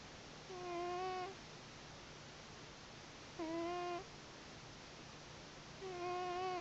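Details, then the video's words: Gremlin, a pet cat, snoring while asleep on a pillow beside a sleeping person's head: steady whistled nasal tones with stacked overtones, each lasting under a second and recurring about every two and a half seconds over a constant soft hiss. "My Cat Snoring On My Pillow"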